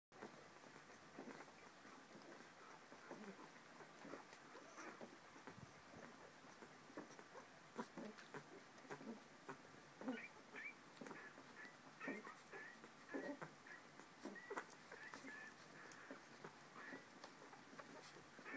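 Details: Corgi puppies 21 days old give a steady stream of thin, high squeaks and soft whimpers; finding: Corgi.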